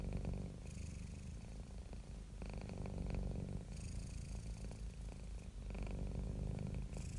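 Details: Contented house cat purring in a close, deep rumble with fine rapid pulsing, alternating louder and softer phases every couple of seconds as breaths change; nothing else audible.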